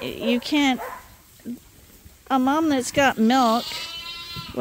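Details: Two short bleats from lambs being bottle fed on a farm, then a quiet pause. A loud wavering bleat and two more follow, and the clip ends on a fading high tone.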